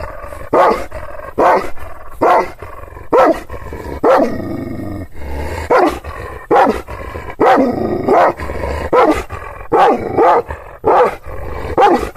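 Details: Fierce Kangal shepherd dogs in Aksaray, central Anatolia, guarding their owner's property against unfamiliar people: a steady series of heavy, hoarse barks, roughly seventy a minute, over a low background drone.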